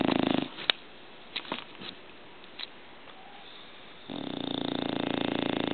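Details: Snoring English Bulldog: a short rattly snore at the start, a quiet stretch with a few faint clicks and sniffs, then a long buzzing, vibrating snore building up at the end.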